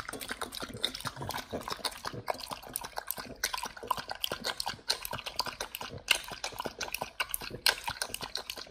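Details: nomyen, a Pit Bull, tears into a raw whole Thai duck for the first time: bright crackling crunches and wet squelching bites come in quick succession, with a few louder snapping cracks.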